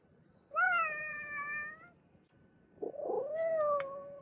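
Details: Pet cat producing a long steady meow, then after a pause a scratchy rising sound leading into a second drawn-out meow that falls slightly at the end; faint steady hum underneath.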